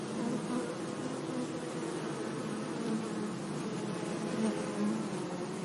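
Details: Bees buzzing among flowers in a sunny meadow: a steady, dense low hum of many overlapping wingbeats, with individual bees briefly droning louder as they pass close, several times across the stretch.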